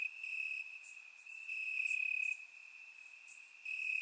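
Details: Crickets chirping in grass on a warm summer night in Bulgaria, recorded with a surround microphone: a steady, high, continuous trill holds one pitch throughout, with brief, brighter, very high buzzy bursts from other insects every second or so.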